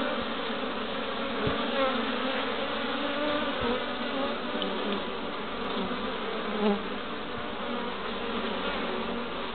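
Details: Honey bees busy at their hive entrance in Pembrokeshire, west Wales, on 11 March 2012, bringing in pollen: a dense, steady hum of many bees buzzing, with a low droning tone throughout.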